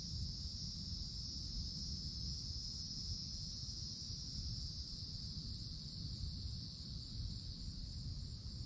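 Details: Cicadas sounding from treetops in summer woods: a constant, high, droning buzz holding one steady pitch throughout, somewhat quieter, with a persistent low murmur of wind or distant noise underneath.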